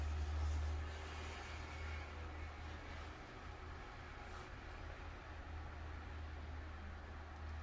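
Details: Quiet, steady low rumble like a passing vehicle or train, with no animal sound.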